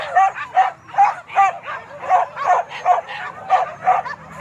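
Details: Hunting dogs on a wild boar hunt at Kayu Ampek, Tanjung Emas district, Tanah Datar regency, give high, yelping barks about every half second, steady and urgent, each bark sharp with bright overtones, over faint low background rumble.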